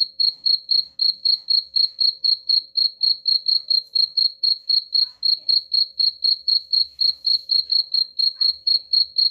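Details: Shrill cricket chirps, described as driving away rats, go on without a break for over nine seconds in an even, rapid rhythm of about four pulses a second. The background is otherwise quiet.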